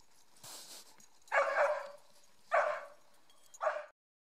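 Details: Mieli, a dog with some Schipperke in her, doing zoomies during a hike at Grand Staircase-Escalante National Monument in southern Utah; three short, sharp barks about a second apart, with a quiet pause before each one.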